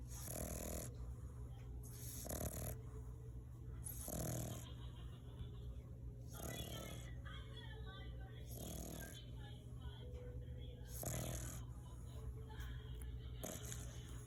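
An English Bulldog snores in loud, rasping breaths that repeat roughly every two seconds.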